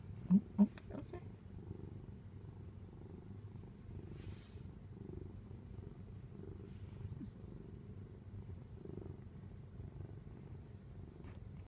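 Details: A pet cat purring as it is stroked, a continuous low, even rumble lasting the whole stretch, with a couple of soft knocks at the beginning.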